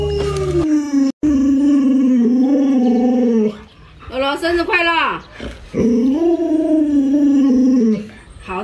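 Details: Pet Alaskan Malamute named Luoluo, reacting after its owner scares it with a mask, gives long drawn howling yowls at a steady, slightly wavering pitch. One sharp break interrupts the first. A shorter, swooping middle part leads to another sustained wail.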